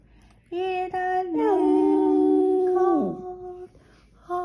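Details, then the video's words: Skipper, a Boston Terrier, sings just after waking from sleep: a sustained, steady mid-pitched croon that dips at the end, preceded by a few short sounds, with a brief quieter break before the voice returns. "Skipper the Boston Terrier goes from sleeping to singing!"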